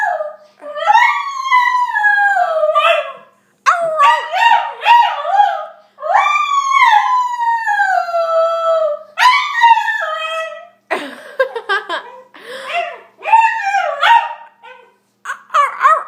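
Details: Shiba Inu dog giving a long series of yodelling howls, each note swooping up then sliding down, broken by brief pauses, ending in shorter choppy yelps and whines.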